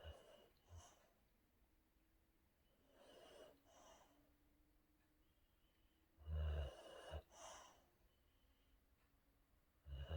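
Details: Boxer named Rex sleeping and dreaming, giving soft low snoring breaths and snorts at irregular intervals, with two louder snorting bursts near the end and quiet pauses between.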